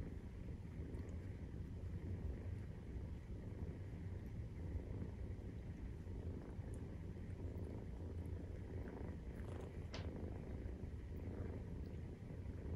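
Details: Maine Coon cat purring while nursing, kittens 43 days old; a long, unbroken low throbbing purr with slight swells in loudness and a brief click near the end.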